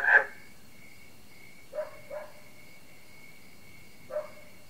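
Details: Frog concert with barking crickets, heard in a quieter moment: four short, separate barking notes at about 0.1, 1.8, 2.1 and 4.1 seconds over a faint continuous high ringing tone.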